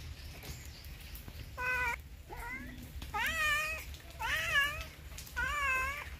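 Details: A house cat gives a quick series of about five insistent meows, some bending upward in pitch, spaced roughly a second apart over faint background hiss.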